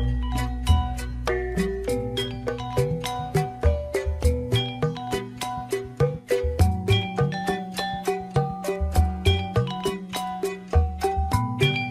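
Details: Bright mallet-percussion music like a marimba or xylophone plays quick repeated notes over a bass line, with no animal sound.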